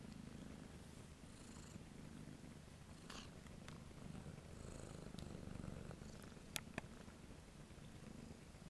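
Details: Low rhythmic purring from Kitten 13473 at The Cat House on the Kings, ready for adoption; the rumble swells and eases with each breath, roughly every second and a half, over light clicks and handling rustle.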